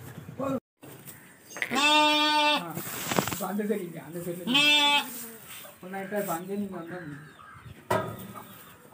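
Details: Bleating from lambs kept for sale: two loud, drawn-out, strongly harmonic bleats, each lasting under a second, separated by human speech and shorter murmured calls.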